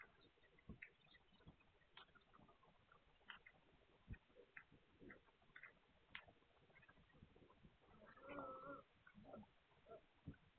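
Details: Young Hungarian Vizsla puppies, 9 March 2021: faint scattered squeaks and snuffles, then a clear drawn-out tonal whine lasting under a second, followed by more soft squeaks.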